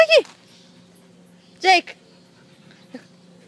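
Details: Four-month-old German Shepherd puppy at the park giving three brief high whining yelps, the first two sliding downward with a bright harmonic edge, the last very short, separated by quiet gaps over a steady low hum.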